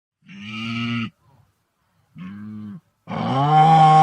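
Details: Wildebeest on the African savanna giving three nasal, resonant grunting calls with a buzzy harmonic tone, two short and steady, the last louder, longer and rising slightly before cutting off, with brief silences between.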